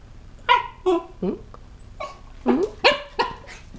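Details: Rocky, a 7-month-old, 12-pound Chihuahua and Cocker Spaniel mix, barking indoors at a new toy that scares him: a series of about eight short, sharp, yappy barks in uneven bursts, with a person calmly talking to him.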